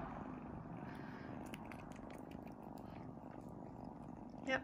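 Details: Sphynx kittens nursing on their mother produce a continuous soft low purr, with a woman's quiet voice faintly heard and a brief louder sound near the end.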